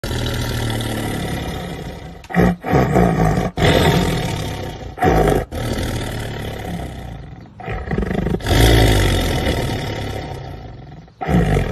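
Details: A black tiger roars in a series of deep, gravelly bursts, each a few seconds long with short pauses, heavy and low like an idling or revving engine.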